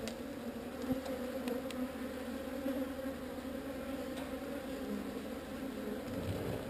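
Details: Steady buzzing of a honey bee swarm during its move away from an unwanted site. The even, low, layered hum holds throughout, with only a few faint clicks and a light background rumble.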